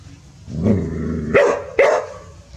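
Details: Village dogs Pao and Rank barking in earnest after the family meets a snake; three sharp barks in quick succession, the last two loudest, against low background hum.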